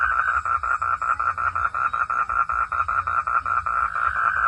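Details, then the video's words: Frog in a forest after dark producing a regular train of clipped, croaking pulses, roughly four per second, evenly spaced and unchanging in pitch, against a quiet low-frequency hum. "Forest sound frog - sound at night"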